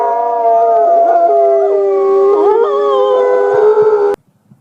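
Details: Group howling of wolves, used to communicate and strengthen pack bonds: several steady, wavering tones overlapping for about four seconds before cutting off suddenly into near silence.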